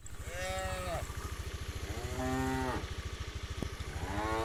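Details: Tame village cows on their morning way to the rice fields to feed; three lowing moos over a constant throbbing engine.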